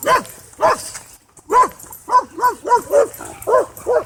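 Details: Dog at a dog park where a Cane Corso tries to dominate: a run of about nine loud, harmonic barks, two early then a quicker irregular series after a short pause, each bark sharp and slightly falling.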